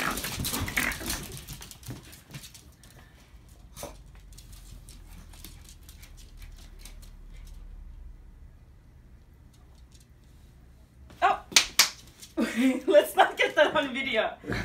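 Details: Two rat terriers, Ricky and Milos, on a play date at work; after a long quiet stretch of faint handling noise, bursts of rough, pulsing play growls and scuffles erupt in the last few seconds indoors.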